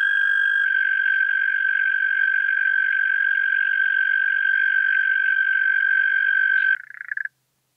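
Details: European mole cricket singing at Pabing, Austria, on 31 May 2021, recorded with a Pettersson D 100 ultrasound detector and noise-reduced: a steady, unbroken churring trill at one mid pitch, held for nearly seven seconds before stopping abruptly.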